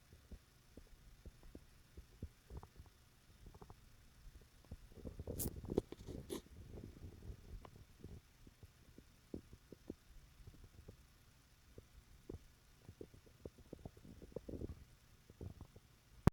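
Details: Gibbles, a cat, sleeping and snoring beside a person: soft low rumbling and clicking breaths, with a louder, broader rasping snore building around the middle of the recording before easing back to faint, irregular ticks.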